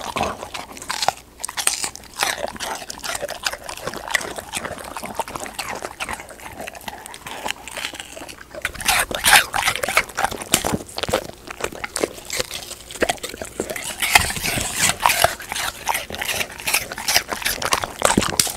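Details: Golden retriever eating treats like dried pig ear, fruit, cabbage or sweet potato indoors; steady crisp crunching and biting for most of the stretch, a quieter pause around the middle, then louder rapid crunches toward the close.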